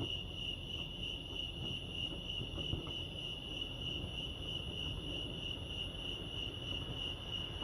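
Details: Crickets at Lake Arrowhead, California keep up an unwavering high-pitched ringing chirp, steady in loudness, over low ambient rumble and a few faint scattered clicks.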